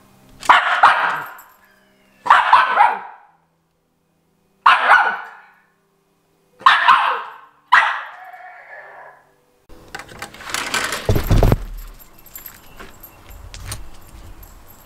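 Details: Miniature Schnauzer barking: five sharp barks roughly every two seconds, the last trailing into a softer growl, followed by rustling and handling noise.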